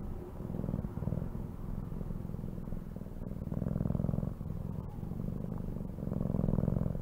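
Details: Steady low cat purr, rhythmic rumbling with louder inhale-exhale phases roughly every two seconds, recorded up close.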